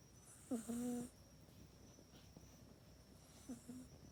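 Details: Mac, a pet cat, dozing in its cat bed at night, recorded with an iPhone 8; one longer droning snore, then a shorter second one about three seconds later, both low and nasal against faint background hiss.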